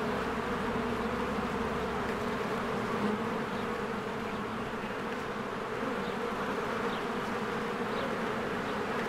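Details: Many honeybees streaming in and out of a hive in spring bloom; an even, dense buzzing hum with low tonal layers, unchanging in loudness, faint scattered bird chirps above.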